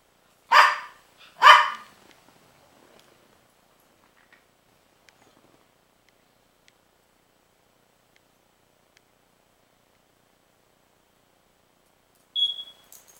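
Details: Princess the dog barks at Rocky, a pitbull puppy, on 12-08-09: two loud, rough barks about a second apart, a long silence, then a brief high electronic-sounding beep.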